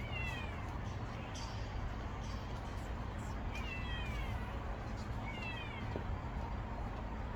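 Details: Orphaned stray kitten that lost its mother, moving about its hiding spot: thin high meows with falling harmonics, repeated about every two seconds, over steady low hum.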